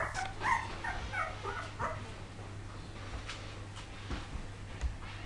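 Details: Poodle puppies in 2012 giving short, high, squeaky yips and whimpers clustered in the first two seconds, then only faint scattered sounds over a steady low electrical hum.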